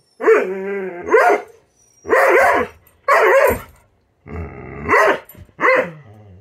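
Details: Impatient female Doberman waiting for breakfast gives drawn-out, whining, howl-like barks mixed with sharper yelps, about six bursts over six seconds, some with a faint growl underneath; no other sounds.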